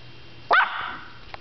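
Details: Yorkshire Terrier named Emma giving one short, sharp high-pitched bark that trails off into a fading tonal whine, then quiet room noise.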